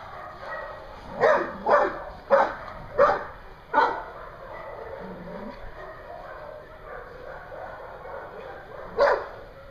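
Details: Dogs at a daycare in Hooksett, New Hampshire, recorded 21 April 2016: a quick run of five sharp, ringing barks within about three seconds, then a pause of murmuring background chatter before one last loud bark.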